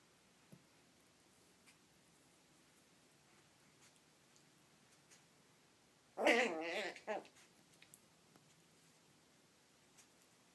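A Yorkshire Terrier puppy gives one brief, wavering whine-grumble in an otherwise quiet room.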